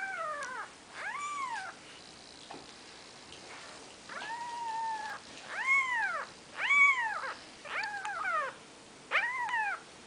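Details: Four-day-old Maine Coon kittens beside their mother: a run of high, arched mews, about one a second in bursts, each rising and falling in pitch, with short gaps and a low background hiss.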